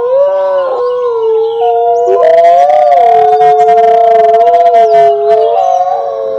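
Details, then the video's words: A group of wolves howls in unison, sustained layered tones holding steady then bending upward and back down, multiple voices stacked in a loud, unbroken chorus. "Wolves howling together"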